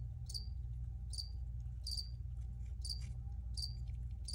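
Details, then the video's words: Short high chirps from crickets arrive about every half to one second, each a quick bright burst ending in a clear tone, with a continuous low hum underneath. "Free Cricket Sounds for Re-Use or Relaxation"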